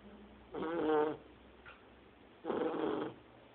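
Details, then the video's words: Sleeping Shar Pei puppy, only two months old, snoring loudly like a grown person; two raspy, buzzing snores about two seconds apart, each lasting around half a second, with soft hiss in between. "Shar Pei filhote roncando"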